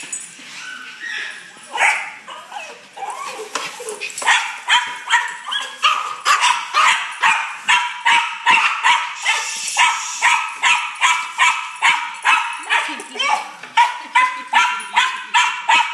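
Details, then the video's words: Excited fat dog, eager to go for a walk, barking in a rapid steady series of short sharp yips, roughly two or three each second, building from scattered whines into a continuous run. "The Excited Fat Dog"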